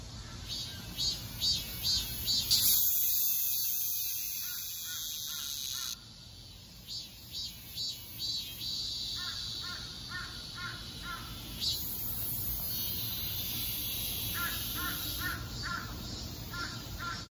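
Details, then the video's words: Cicada song: a loud, continuous high buzzing drone with pulsing rhythmic bursts repeating a little over twice per second, shifting in intensity partway through, with steady electric-like hum throughout. "매미 울음소리"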